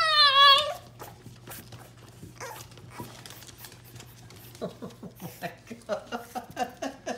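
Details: Young French Bulldog puppy shut out of the kitchen behind a baby gate while food fries in a skillet, crying indoors. It gives one loud, high, wavering whine, then a fast run of short whimpering yelps with a low steady hum behind.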